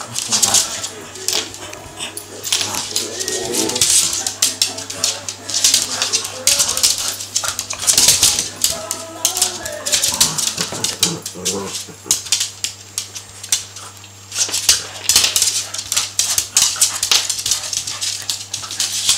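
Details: Harvey and Sam, two Cavalier King Charles Spaniels, play fighting: short grumbling growls and snarls come in bursts through dense scuffling, clicking claws and thumps, over a steady low hum.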